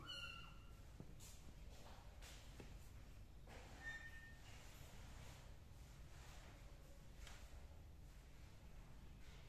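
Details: Tuxedo kitten giving a short, high meow at the start, then a second thin meow near the middle, both quiet against a steady low background hum with faint rustles.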